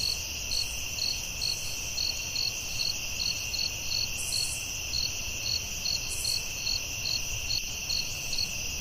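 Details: Night forest crickets keep up a continuous high buzzing hum while one caller repeats clipped bright chirps at about 140 a minute, a few faint higher rasping bursts breaking through now and then.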